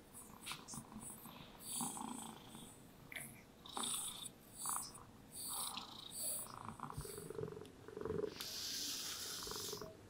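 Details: Happy domestic cats resting indoors in lazy sunlight, purring contentedly while being brushed; a soft, steady low rumble runs beneath repeated swishing brush strokes that come in bursts roughly every second or two.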